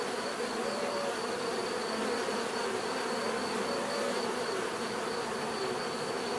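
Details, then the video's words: A swarm-like hum of bees, steady and unbroken, while a thin high tone pulses faintly in the background throughout. "bees therapy relaxing natural buzzing sound"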